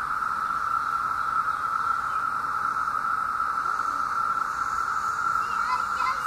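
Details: Chorus of 17-year cicadas, out by the thousands in Southeastern Ohio during summer 2016: a loud, constant buzzing drone holding one pitch throughout, with a few soft higher chirps near the end.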